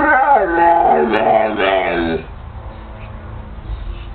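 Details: Indoor Pit Bull trying to 'talk' with its owner gives one wavering, harmonic howl-like moan lasting about two seconds, then only quiet room hum follows.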